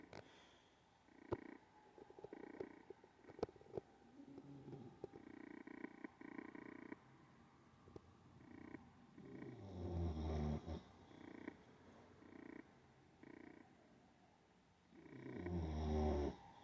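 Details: Sleeping Olde English Bulldogge snoring in a run of buzzy, rattling breaths that come every second or so, with two longer, deeper rumbling snores and occasional sharp clicks.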